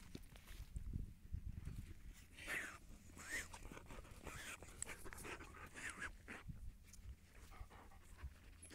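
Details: Siberian Husky on a calm walk, giving a run of short whiny vocal calls that arch up and fall back, about five spaced over several seconds, over low rumbling handling noise.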